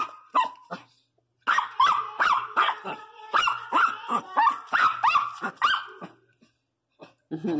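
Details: Pinscher, pregnant, barking in a rapid burst of shrill yaps for about five seconds after a brief pause, then falling quiet before one last softer sound.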